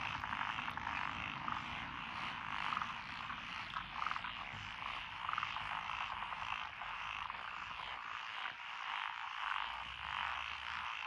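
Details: Frogs chorusing in lotus rice paddies beside a rural road in Echizen, Fukui, Japan, on 12 June 2021. The species named are Japanese tree frog, black-spotted pond frog, wrinkled frog, Schlegel's green tree frog and forest green tree frog. A dense, steady croaking mass runs throughout, with brief brighter notes about every second.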